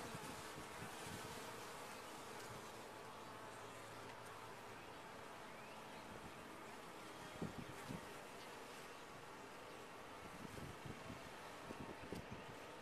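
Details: Many honey bees humming inside a top-bar hive, a broad steady drone with occasional tapping and crackling sounds standing out.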